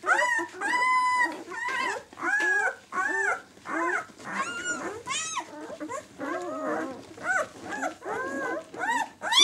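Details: White German Shepherd puppies, six days old, of the "of White Night" B litter, cry in bursts of loud rising-falling squeals, roughly one every second, indoors.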